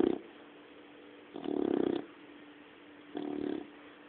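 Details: Puppy dog asleep and snoring: low, buzzy rasps each lasting about half a second, coming in a steady rhythm with roughly two seconds of quiet breathing between them.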